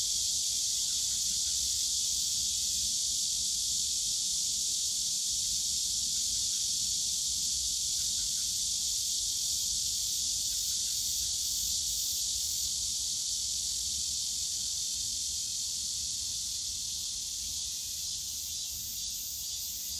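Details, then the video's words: Loud, even cicada chorus in the Yongsan Family Park bamboo grove on a summer day, a sustained shrill buzz that gains a faint rapid pulsing toward the end, with low background rumble. "용산가족공원 대나무숲 매미소리"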